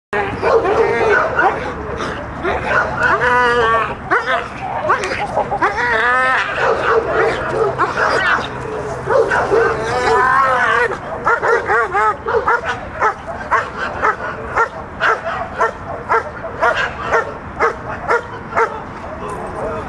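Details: Mako, a working dog in protection training, barks during the bark after the out, with a trainer giving directions. Sharp barks repeat about twice a second through the second half, and talking overlaps the first half.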